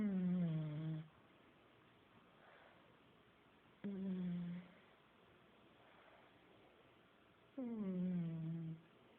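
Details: Pug named Buddy snoring heavily in his sleep indoors, three low droning harmonic snores roughly every four seconds, each sagging slightly in pitch, with quiet breathy exhalations in the gaps.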